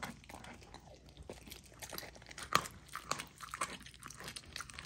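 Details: Young female Golden Retriever crunching frozen raw food at dinner in a small room; wet smacking chews roughly twice a second, with one loud sharp crack near the middle.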